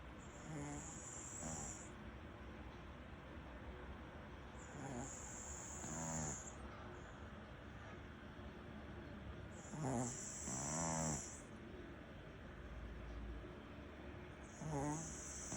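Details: Maltese-Shih Tzu mix dog named Ttuttu, asleep after a long day, snoring softly with slow, rasping breaths about every four to five seconds, each paired with a brief high electronic-sounding whine.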